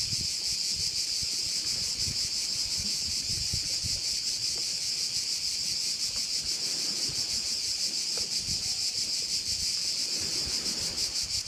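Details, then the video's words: Crickets near a Korčula bay, Croatia, keep up a continuous high, sizzling buzz with rapid regular pulses; low wind noise comes and goes beneath. "Korčula - view of one of the bays in Korcula with sounds of crickets"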